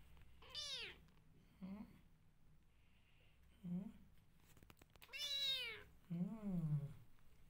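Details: Rescue kittens indoors in a small room, giving a run of high, bending meows, some long and arching, others short and lower, about five calls over seven seconds with quiet gaps and faint room noise between.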